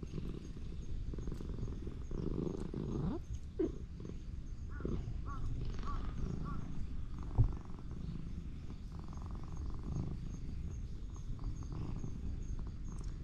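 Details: Old ginger tabby cat in a park, calling in a strange voice while being petted. A low, steady purr runs underneath a few short rising meows and wavering trilled calls in the first half. Soft rustling is audible near the middle.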